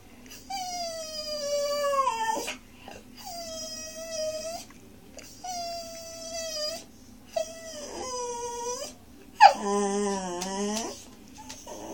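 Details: Indoors at dinner, Monty the Miniature Schnauzer puppy howls for broccoli, which he loves: four long tonal howls sliding slightly downward, spaced about two seconds apart, then a louder quavering howl, over a steady low hum.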